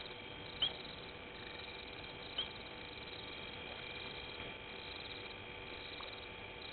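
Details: A frog, possibly a painted reed frog, gives two short, sharp, high chirps a couple of seconds apart at 00:38 on 16 April 2021 at Gowrie dam waterhole, Djuma Game Reserve, Sabi Sand, South Africa.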